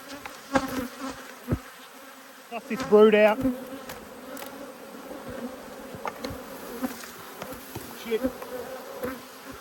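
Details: Honey bees from two hives, cross at being inspected in March 2022, give a steady low hum with a clear overtone above it. Their buzzing swells and fades, and a short burst of human voice cuts in near the third second.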